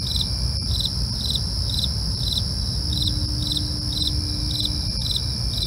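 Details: Crickets at night: short pulsed chirps repeated about twice per second over steady high continuous insect trilling, with a low rumbling background hum.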